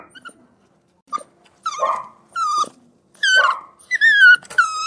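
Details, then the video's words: A puppy whimpering and crying indoors. Short soft yelps build into high, thin whines that slide slightly downward, coming in bursts of under a second with brief pauses between. "Puppy Whimpering and Crying"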